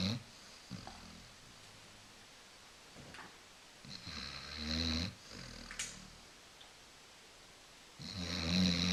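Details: A Basset Hound, a lazy female, snores deeply while napping on a couch indoors, each breath a low, fluttering, buzzing rumble with a hissing rasp on top, coming every few seconds, uneven in length.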